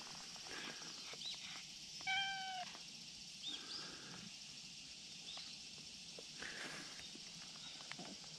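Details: A friendly brown tabby and white cat, calling from a dangerous slope spot and demanding cuddles, gives one clear slightly descending meow, followed by faint softer sounds, rustling and a continuous high background hiss.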